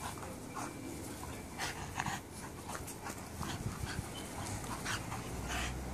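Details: Puppies at play with their minders give soft, breathy panting puffs in short irregular bursts over a steady low rustle, with a few sharper huffs near the middle.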